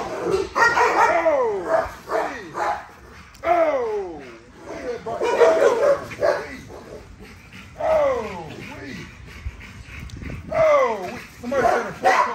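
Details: Nyla, a female XL ghost tri American Bully, during a workout and bite exercise: high whines that swoop down in pitch, mixed with short barks and loud human speech and encouragement throughout.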